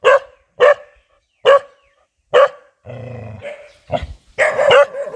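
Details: A very fierce dog barking: four sharp, loud barks roughly every second, then a low drawn-out voiced sound and a burst of rougher, overlapping barks at the end.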